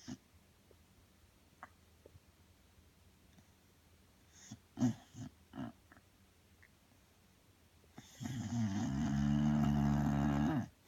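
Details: Several seconds of near silence broken by soft clicks and snuffles, then the sleeping Bulldog Belle lets out one long, loud, buzzing snore lasting nearly three seconds.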